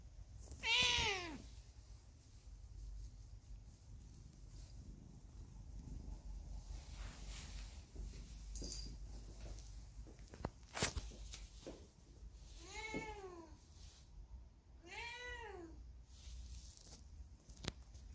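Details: Hae, a factory cat left alone after the dogs it lived with were suddenly taken away by truck, on a cold, windy day; three clear meows, rising then falling, spaced several seconds apart, with faint clicks and quiet background noise between.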